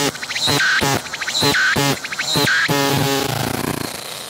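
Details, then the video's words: Close-range singing cicada on a tree, recorded with a 180-degree 3D VR camera: strong rhythmic pulsed buzzes alternating with short high tones, roughly one phrase per second, ending in a trailing ragged buzz. "鳴いているセミに接近して撮影してみた！I approached the cicadas that were singing"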